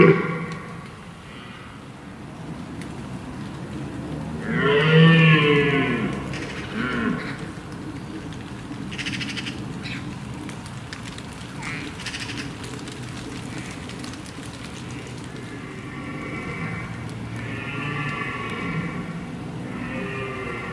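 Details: Red deer stag in the rut, guarding a harem of hinds with rival stags nearby: a single deep, drawn-out roar rising from low rumbling background noise, then faint distant roars later on.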